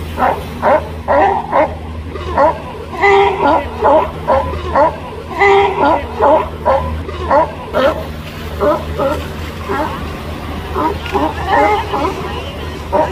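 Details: Resting female sea lions on a small islet in the ocean on a sunny day bark in short, harsh, repeated bursts, roughly two a second in clustered runs, with a brief pause midway, against constant surf noise.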